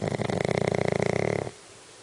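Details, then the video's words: Snoring Shih Tzu, said to snore like a human: one loud rattling snore of about a second and a half, made of rapid vibrating pulses, ending abruptly into quiet room tone. "snoring shih tzu"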